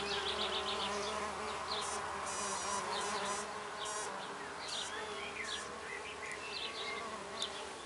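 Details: Steady humming drone from female red orchard mason bees adopting a fresh oak nest block in a back garden, six solitary bees at work; high chirping bird calls and short trills scatter over the continuous buzz.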